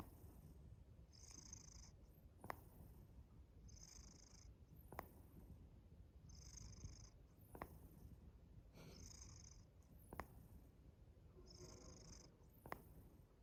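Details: A domestic cat purrs steadily while a sharp, popping click repeats from its mouth every two to three seconds; the owner wonders what causes this rhythmic popping sound.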